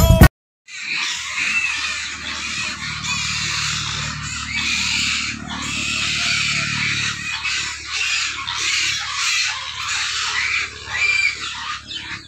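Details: Hungry pigs at feeding time raise a dense, continuous chorus of harsh, high squeals with no breaks, over a steady low mechanical hum that fades partway through.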